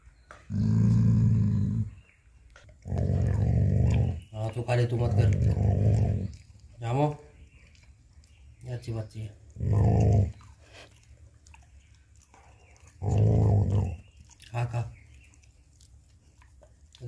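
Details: Jacky the dog defending his bone from a person reaching for it: repeated low, rumbling growl bursts of one to two seconds, spaced by pauses, with a person talking to him between the growls indoors.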